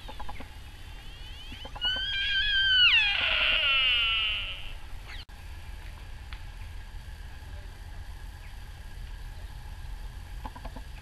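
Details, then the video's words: Sika deer stag at RSPB Arne, 20 October 2012, giving one loud harmonic cry: a shrill scream that wavers on a high pitch, then sweeps steeply down and fades, followed by quiet background with faint clicks. "Sika Deer (including cry of Stags!)"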